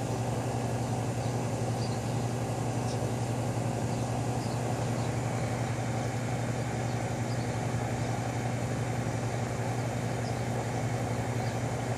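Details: A steady idling engine drones throughout, a constant low hum with no animal calls.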